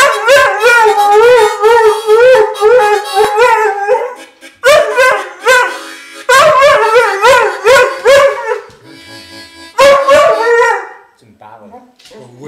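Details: Dog howling along to a harmonica in a bluesy style, with wavering, sliding howls that rise and fall in long phrases over the harmonica's reedy notes, broken by short pauses.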